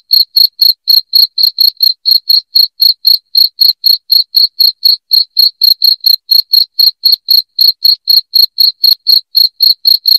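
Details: Shrill, rapid cricket chirping, intended to repel household rats, pulses evenly about four times a second across ten seconds with a steady intensity and no other noise.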